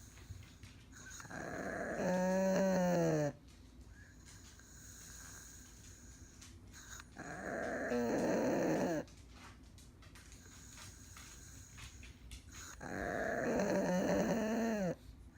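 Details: Elderly Pug needing care, sound asleep with eyes open, snoring in three drawn-out bursts roughly five seconds apart; each breath is a raspy, wavering rumble with a nasal, whining edge, separated by quiet breathing.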